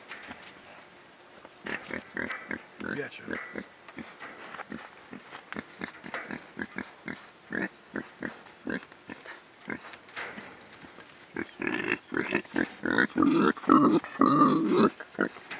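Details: Young wild boar piglets give quick, rough grunts and rising squeals, with people talking nearby.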